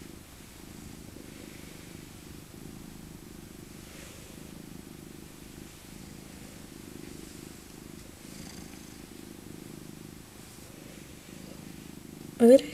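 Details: Elderly female tabby Maca, born 2000 and rescued as an abandoned kitten from a park, purrs steadily while being cuddled in her soft winter coat: a continuous low rhythmic rumble for over twelve seconds, ending in a brief sharp noise.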